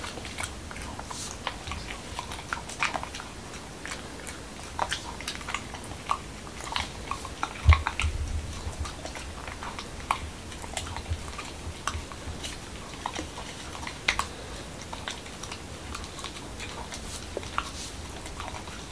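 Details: A male Corgi in Washington DC eats a dog-friendly taco of whole wheat shell, cucumber and lean ground beef indoors; crisp crunching bites and wet clicking chews come irregularly, with one heavier crunch midway.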